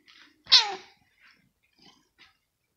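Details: Female kitten named Rosetta, indoors in her scratching home one morning, provoked by a finger while playing and seeming nervous: one short, loud, high mew that slides downward, then a few faint soft sounds in a quiet room.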